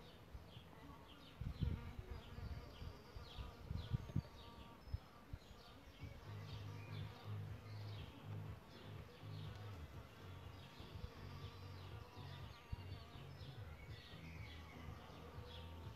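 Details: Solitary bees nesting in a bug hotel: after some early bumping knocks, a low droning hum with stacked overtones holds steady through the second half, while birds chirp faintly in the background.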